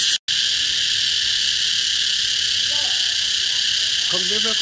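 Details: A single cicada, seen while it calls in summer in Vietnam, makes a loud, unbroken, ear-splitting buzzing drone, harsh and high, filling the air almost without pause.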